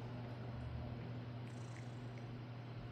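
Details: Relaxed male pet cat lying back for petting and belly rubs, purring loudly. An even, deep, unbroken purr continues throughout, with faint soft rustling over it.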